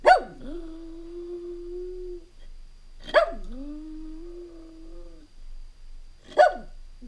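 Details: Jack Russell Terrier home alone for a few hours, watched on a surveillance camera; sharp high yips, each running into a long, steady, mournful howl, repeated about every three seconds indoors.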